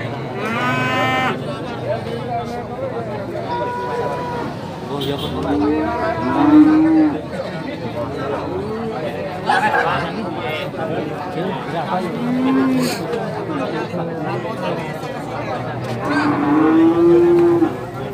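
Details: Young Limousin calves at the Legi cattle market in Pulung, Ponorogo, East Java, giving several drawn-out, harmonic moos, some rising and some falling, scattered across the recording over steady crowd chatter and voices.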